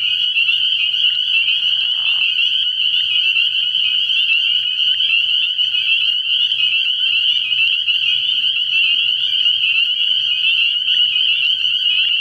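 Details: A dense nighttime chorus of spring peepers at a frog pond early in the year gives high piping peeps that blend into one continuous shrill ring, with a bullfrog also audible.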